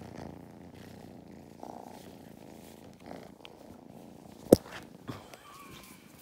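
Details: A quieter, low purr from kittens Mustard and Thyme during lap time on a County Kilkenny farm, Ireland. Soft breathy swells are broken by a sharp click near the end.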